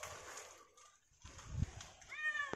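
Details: Kitten stranded high in a tall, thin tree during a risky rescue, giving a short rising-then-falling meow with clear harmonics near the end, after a fainter earlier cry; rustling, thumps and a low background murmur around it.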